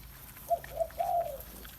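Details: Bangkaew puppy from Baitong's litter drinking milk from a big bottle, giving three thin tonal whines: two brief notes followed by a longer, slightly falling whimper, over quiet room background.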